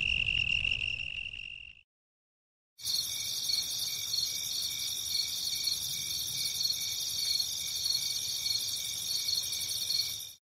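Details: Cricket giving a continuous high trill that stops, then resumes after a short pause as a denser, buzzier ringing trill held to the end.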